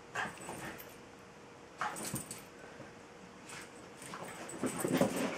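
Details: Indoors, Tinkerbell the Jack Russell terrier, a female, pesters Bilbo the Welsh Terrier to play, giving scattered sharp yipping barks in small clusters that build louder toward the end, with a faint steady hum behind.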